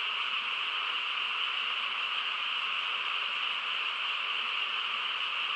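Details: On a still rural night, a mass of frogs sings together, producing a steady, sizzling trill of merged voices without gaps.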